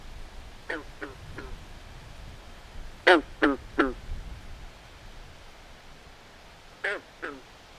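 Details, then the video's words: Frogs calling at night by a swamp: short, harsh, quack-like croaks in bursts of three, with a soft set, a louder trio near the middle and a closing pair, over a faint low rumble. "Natural Ambient Sounds Of Frogs At Night"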